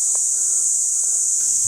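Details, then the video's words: Forest crickets near an old man's home keep up an unbroken, piercing high trill throughout, with a few soft knocks and a low rustle at the end. "Ang sarap po sa pwesto dito ni tatay oh, yung mga kuliglig. Walang tigil po sa pag-ingay."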